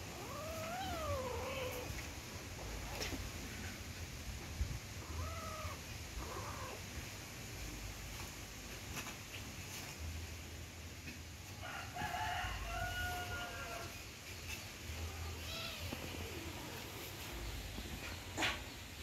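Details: Kittens play-fighting give several drawn-out, wavering meows, one near the start, others midway and later, over a steady low rumble and occasional clicks.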